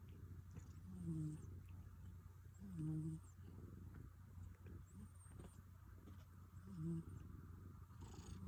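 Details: Rescued cat snoring, heard for the first time: soft low rumbling breaths repeating roughly every two seconds, with faint higher hissy tones at each inhale, over a quiet steady hum.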